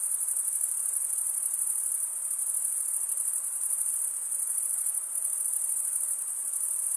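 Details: Male crickets stridulate with serrated wing veins, making an unbroken high, thin, shimmering trill. Tiny rapid pulses give the tone its texture, and the level dips only slightly now and then. Nothing else is heard but soft low hiss.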